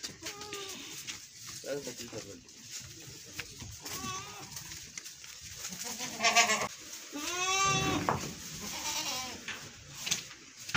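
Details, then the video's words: Goats bleat during milking, a goat also seen butting a calf; several wavering, harmonic bleats come around seconds 6 to 8, the longest descending, amid background voices and rustling. "goat milking || goat beat the calf"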